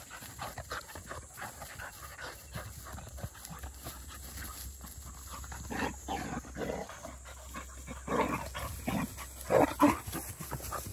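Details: Black and yellow female Labrador Retriever puppies, field type, 197 days old, during a noon break alongside a 12-year-old Labrador; steady rapid panting, about three breaths a second, growing stronger toward the end with a brief whimpery note.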